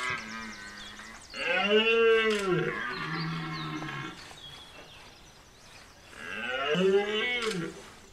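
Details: Two drawn-out, rising-then-falling bellows from a rutting red deer stag, Chambord, France, September 2021, about five seconds apart, with shorter lower groans before and between them.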